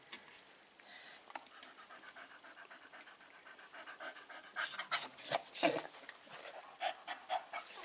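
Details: Staffordshire Bull Terrier puppies aged five weeks, filmed 27 September 2020, pant in quick breathy huffs about three per second. The rhythm grows louder and more pronounced in the second half.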